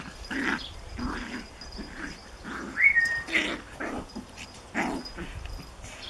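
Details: Japanese Chin puppy tormenting a Collie in play: soft repeated growly grunts about every half second, one brief high whine in the middle, faint scuffling throughout.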